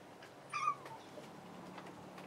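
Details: A single brief, clear meow from the cat Kuri, stuck on the floor after a failed jump at the closed tempukuro door as Ameta, Kinako and Hanu climb up, over a quiet indoor room hum.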